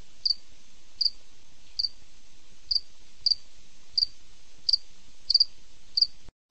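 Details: Cricket chirping at night: short, high, bright pulses, some doubled, repeated roughly every three-quarters of a second against a faint low hum, ending in a sudden brief silence.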